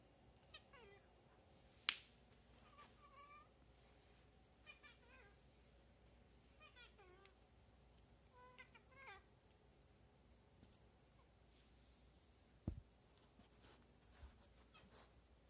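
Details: Cat chattering: faint, quick stuttering chirps in short clusters roughly every second or two, with a couple of sharp clicks and quiet room hiss.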